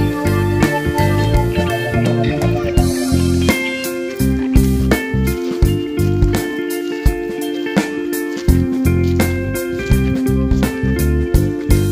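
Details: Steady plucked guitar music in a bluesy slide style with a regular beat, and no animal voices heard throughout.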